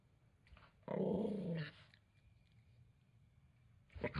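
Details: Angry male Toy Poodle reacting to having his towel taken: one harsh, throaty growl lasting under a second, then near silence before a brief louder burst at the end.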